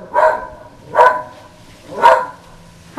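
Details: Female whippet barking outdoors at the Goodyear blimp flying overhead, a normally quiet dog in a barking frenzy: three sharp, bright barks about one second apart against quiet background.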